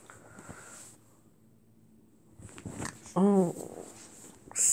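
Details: Zorro, a pet Brussels Griffon, playing cheekily with the cat Salem indoors and nipping: one short, pitched yelping bark rises and falls near the end, amid quieter rustling and a person scolding about biting.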